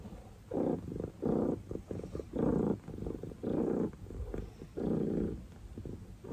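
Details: Oreo the pet cat purring in rhythmic bursts about every second, each swell a low buzzy rumble separated by short quiet breaths.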